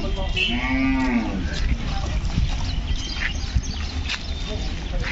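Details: Hallikar bull calf at a cow market in Kelamangalam, South India, giving one moo with a clear harmonic stack near the one-second mark, over steady crowd chatter and background noise.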